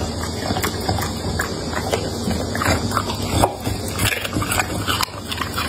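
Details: A pet dog eats carrot, potatoes, meat, eggs and tomatoes, recorded up close for ASMR; wet chewing, smacking and crunching clicks come in quick irregular bursts over a steady low hum.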